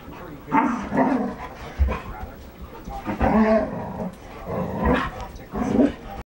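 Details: Red standard poodles, three females playing together as housemates; repeated rough growling vocal bursts about every second, some with tonal whine-like edges, mixed with thumps and scuffling of play.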